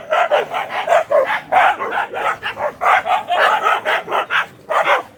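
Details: Black Bhotiya dog in a mad barking fit, loud rough barks fired almost without pause, about three each second, for the whole stretch.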